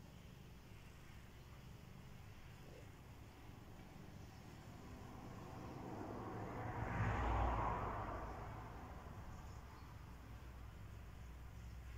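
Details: Steady low rumble of outdoor noise swells as a vehicle passes by, with no animal sound. The passing vehicle peaks midway and then fades back into the background hum.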